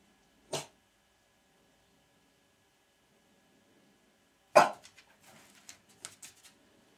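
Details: Gilbert the French Bulldog, indoors behind glass watching a deer eat birdfood and eager to hunt it, gives two short sharp barks about four seconds apart, the second trailed by softer scuffling sounds in a quiet room.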